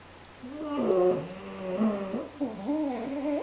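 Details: French Bulldog and Pug napping side by side, one snoring: a continuous buzzy, whistling breath with wobbling pitch that rises and dips for about three seconds, with a brief hitch midway.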